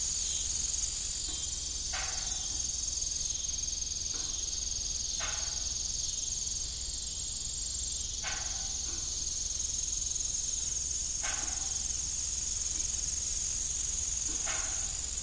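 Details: Crickets in the evening beside an old, rusty farm windmill: a steady, very high, shimmering chorus runs throughout, while a broad creaking sound comes roughly every three seconds.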